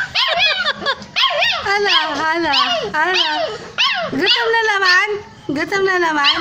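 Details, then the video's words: Hungry stray puppies call out for their mother with a busy tangle of high, wavering whimpers and yelps from several animals at once. Brief quieter gaps separate bursts of crying. "CRYING DOG"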